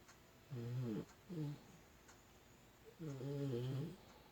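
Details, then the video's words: Puppy snoring while it sleeps, a domestic dog indoors: three or four nasal, humming snores in quick irregular bursts, the longest near the end. "코고는 강아지"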